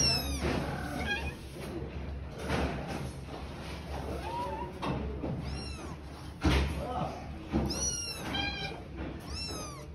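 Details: Kittens living with their mother on the street: thin, high-pitched mews in falling arcs, clustered near the end, over background voices, traffic-like rumble and a few thumps.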